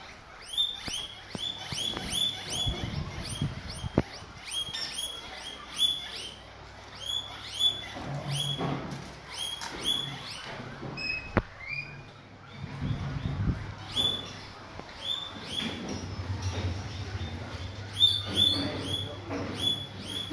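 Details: Guinea pigs fed guava give a long stream of high, rising wheeking squeals in rapid bursts, nearly continuous with short pauses, over low background hum and scattered clicks.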